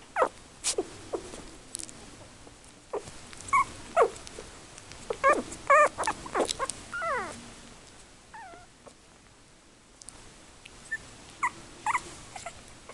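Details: Yorkie puppies, three weeks old, born 24 October 2014 to Tinker and Louie, give scattered thin squeals and wobbling whines that bunch together early, then fade to a few faint, sparse squeaks in a quiet background.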